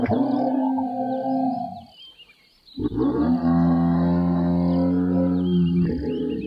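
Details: Giraffe humming: a deep, steady harmonic drone held for about two seconds, then after a short pause resumed for three more seconds, with faint bird chirps in the background.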